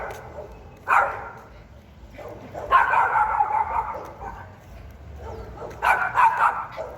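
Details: Fierce, high-pitched barks from a Pinscher: one sharp single bark, then a sustained rasping run of rapid barks, a lull with faint yaps, and a final quick burst of several harsh barks.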